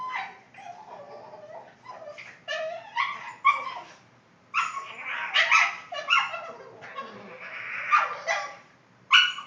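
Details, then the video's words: Boston Terrier at home making funny vocal noises, a run of warbling whines, grumbling groans and yelping bursts in uneven clusters with short pauses, loud and close. "My Boston's making funny noises"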